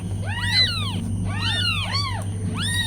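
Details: Tiny meows from newborn kittens with their mother cat: four arched, harmonic-rich cries in under three seconds, each rising then falling, over a steady low hum.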